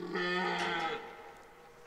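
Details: Rutting red deer at Parc naturel de Boutissaint in 2023 gives a short, throaty roar lasting under a second. It is a strained, harmonic bellow that drops away and leaves faint background hiss.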